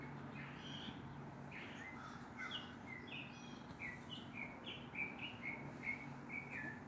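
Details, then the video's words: Neighbourhood squirrel barking at a black stray cat, outdoors. Sharp, high chirp-like barks repeat in an irregular string, growing steadier and closer together, about two per second, toward the end over a low background hum. "Squirrel barking at the cat"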